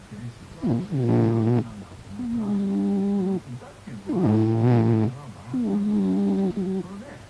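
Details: A homely pet cat sleeping and snoring: two loud, gravelly low snores, each followed by a softer, flat, whistling breath, in an even back-and-forth rhythm.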